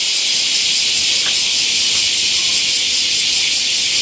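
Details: Bear cicadas massed in a great camphor tree at Daitokuji Park in Nagasaki, Japan, during summer; unbroken high-pitched hissing drone with a faint pulse, brief soft sounds beneath.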